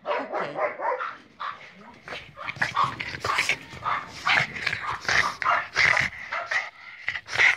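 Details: Boston Terrier from a kennel, urged by its owner in Hungarian to say hello, answers with a run of short, yappy, talking-like vocal bursts, closely spaced, mixed with the owner's spoken commands.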